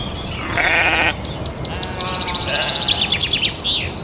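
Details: Domestic sheep on a farm giving one wavering, nasal bleat lasting about half a second, with high, repeated bird-like chirps continuing across the whole recording.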